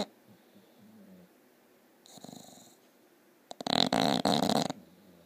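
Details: Bulldog snoring loudly: a soft, breathy intake, then a single loud, rattling, fluttery snore lasting about a second, rough and vibrating throughout, with quiet room hush between breaths.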